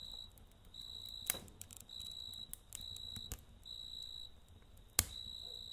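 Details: Chirping crickets on a night beside a campfire, rapid pulsed trills in repeated short bursts, with sharp crackles from the fire cutting through several times.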